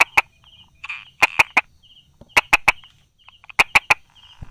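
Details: Brauer's tree frog hiding among rock crevices and small grass, recorded 22 July 2016 at 10:44; sharp tapping clicks given in quick bursts of two or three, roughly every 1.2 seconds, over a faint steady high buzz.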